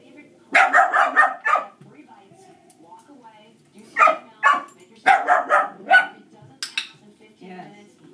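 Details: Background dogs bark during Dixie's first shaping session; Dixie is reactive to dogs. Rapid clusters of sharp, harmonic barks come in three bursts separated by short pauses, over a faint indoor hum and quiet talk.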